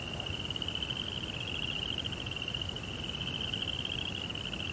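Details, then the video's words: A continuous, bright cricket trill at night, high and evenly pulsed with no pauses, set against a faint low hiss. "2 Hours of Serenity with Cricket Sounds"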